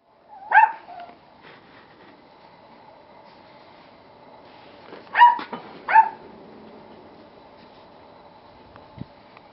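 An Akita puppy gives three short, high yips, one early and two close together a few seconds later.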